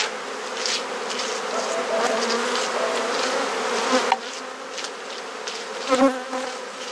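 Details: Honey bee colony in a garden hive in Perth, Australia, during a hive inspection with frames swapped; a continuous droning hum with a low tonal band, and brief knocks of handled equipment near the end.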